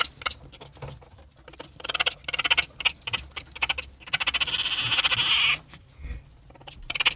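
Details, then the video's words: Raccoon giving rapid pulsed trills in short bursts of high, buzzy chittering, one longer sustained trill near the middle, with quieter gaps and some low rumbling between bouts. "What does a Raccoon sound like?"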